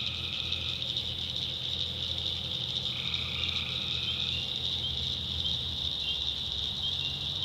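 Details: Tree frogs at night in a North Carolina backwoods swamp, a dense high chorus steady throughout with fainter intermittent trills near the start and middle, plus a low background rumble.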